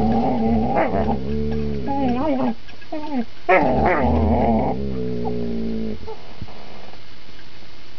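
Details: A critically ill male dog plays a grip game with a younger female companion, tail relaxed; loud, rough growls with wavering, harmonic tones rise and fall in bursts over several seconds, broken by short pauses.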